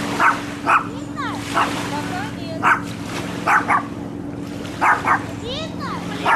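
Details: A barking dog, recorded handheld on a Sony camcorder: about nine short, punchy barks, some in quick pairs, interspersed with faint curved chirping notes and a steady low hum.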